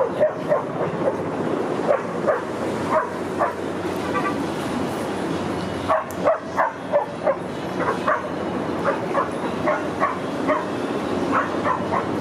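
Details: Rudy, a Boston Terrier, playing at a dog park in autumn, September 2015: short sharp barks come in quick bursts, densest around the middle, over a steady broadband outdoor hiss.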